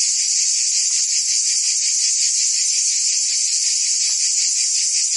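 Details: Cicadas singing in summer in Provence, France: a dense, continuous high buzzing chorus at steady loudness, with a faint pulsing texture and a few soft low ticks beneath.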